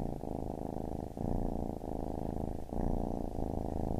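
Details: Loud, dense purring from a kitten, a deep buzzing rumble broken by short pauses between breaths.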